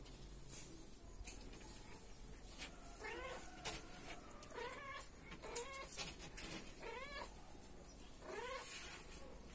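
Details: Kittens at dinner time mewing repeatedly, high wavering cries every second or two, over steady background noise and clatter.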